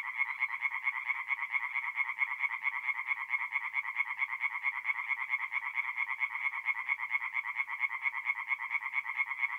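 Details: Singing tree frogs at night by a forest pond in north-east Italy in mid-April, many calling together in an unbroken stream of quick, grating knocks that merge into a constant rattling drone.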